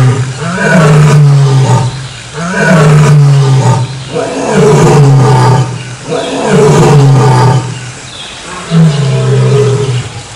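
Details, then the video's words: A lion gives deep, moaning roars, five in a row about every two seconds, each swelling and then falling away. "LEÃO RUGINDO, SOM DO LEÃO"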